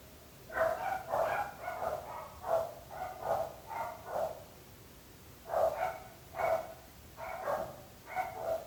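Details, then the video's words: Dogs barking persistently: rapid runs of sharp, harmonic woofs in two bursts, several barks per second, separated by a short pause, with steady low background noise. "26 minuts gossos lladrant / 26 minutes barking dogs."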